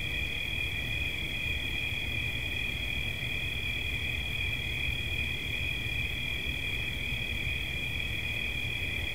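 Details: Relaxing cricket chirping: an even, piercing trill on two close high tones, continuous and steady in volume, accompanied by a gentle low background hum.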